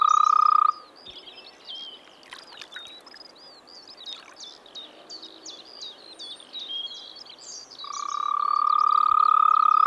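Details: Frog calling from a pond or wetland in the Czech Republic in spring: a steady, rapidly pulsed trill at the start and end, with a stretch of varied chirping and whistling birds in between.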